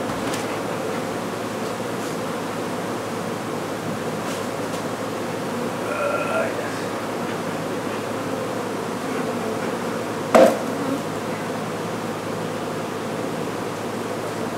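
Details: Honey bees from an exposed hive on a house patio in McAllen, Texas, during removal and relocation; a steady, dense low hum from many bees runs throughout, with a brief tonal sound near six seconds and a sharp click near ten.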